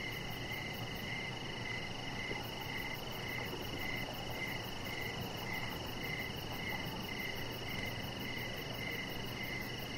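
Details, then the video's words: Crickets calling outdoors in the evening by a lit deck with a chihuahua puppy lying on it; evenly spaced high chirps, close to two per second, ride over a continuous tonal hum and low rumble. "with Cricket Sounds"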